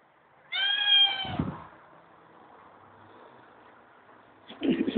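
A Siamese cat gives a loud, drawn-out, nasal meow, with a brief second sound at the end.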